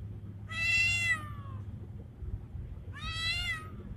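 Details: Two wavering, gently falling meows roughly two and a half seconds apart from a male street cat, Bengal-like in looks, in heat and calling a female; low hum underneath.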